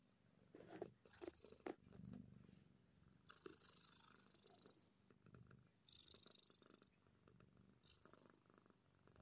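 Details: Quiet low purring from a happy kitten, partly buried under rustling and scratchy handling noises, with some brief higher hissy bursts.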